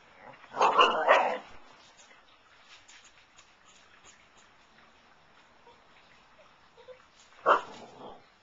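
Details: Siberian Husky pups, filmed on 20 February 2011 with a Flip camera: a burst of short, harsh yapping barks near the start, a long quiet stretch with faint rustling, then one more sharp yelp near the end.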